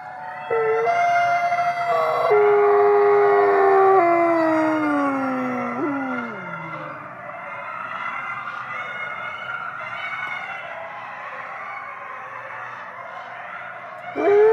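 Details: Captive Canadian/Rocky Mountain gray wolves at a wolf conservation center in South Salem, New York, howling at twilight: several overlapping drawn-out howls form a chorus, some voices sliding steeply downward, holding on for over ten seconds.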